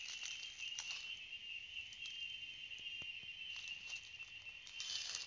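A chorus of cicadas fills the air with a continuous, piercing electric buzz. The tone holds steady throughout, with small swells and faint clicks layered over the drone.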